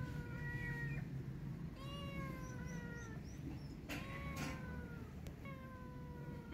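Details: A hungry kitten stranded on top of something cries loudly for food, giving long sliding meows about every two seconds, some higher and squeakier, with a low steady hum underneath and a couple of brief clicks.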